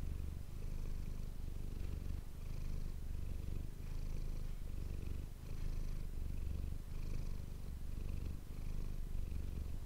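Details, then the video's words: Domestic cat named Manis purring, recorded up close on an ASMR microphone: a steady low rumbling purr with rhythmic pulses, swelling and easing in breaths roughly every one to one and a half seconds. "ASMR cat purring ❤ Manis die aan het spinnen is"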